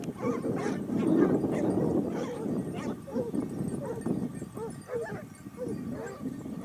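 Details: Pack of Basset Hounds from Topsfield Lebrera hunting in Spain during their second season, 2015-16: a dense, overlapping chorus of deep barks and bays, several dogs calling at once in rapid, irregular bursts.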